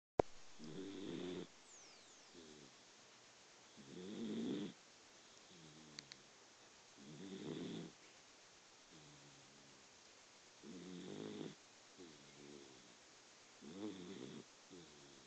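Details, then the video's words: Pet Dachshund sleeping and snoring, recorded on a phone indoors: soft, low rasping snores with nasal tones, one roughly every three to four seconds, quiet with background hiss. "Tinker snoring"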